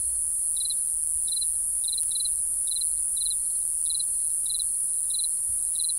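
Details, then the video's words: A cricket chirps in the night: about ten high, triple-pulsed chirps at a regular beat, one briefly doubled, with a steady shrill background tone and a soft low thump near the end. "Real Cricket Chirping Sound | Cricket Noise"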